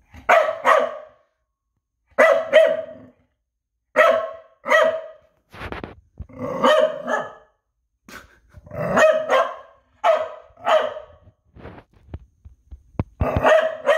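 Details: Noodles, a pet dog, barking repeatedly in pairs of loud, ringing barks separated by short pauses over fourteen seconds, with a few soft clicks between bursts.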